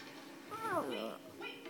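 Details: Lucy, a 2.5-year-old female Morkie indoors, tries to say "mama": a short wavering whine-like vocalization falling in pitch, then a second lower syllable and a brief higher-pitched sound near the end, in a quiet small room.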